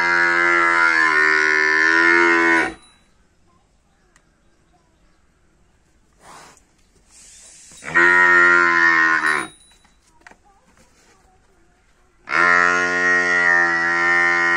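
A water buffalo calf gives three long, deep, rich moos separated by short pauses.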